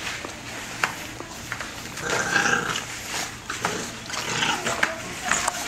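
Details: Bulldog puppies about 5½ weeks old from a litter of Rocko and Teerza, playing and fighting indoors; brief high whiny yelps and squeals rise out of steady scuffling and clicking noise, with a faint voice in the background.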